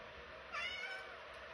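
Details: Oriental Shorthair cat giving a single short, high meow with a slightly rising, tonal shape, lasting about half a second, followed by quiet room sound.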